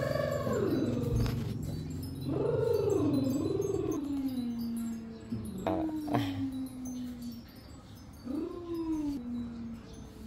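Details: Cats meowing: several drawn-out, wavering meows, some rising then falling, spaced over ten seconds against a steady low hum and faint background noise.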